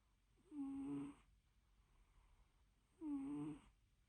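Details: Two nasal, whistling snores from a dozing cat, each lasting about half a second and about 2.5 seconds apart, with a soft low hum in the room between them.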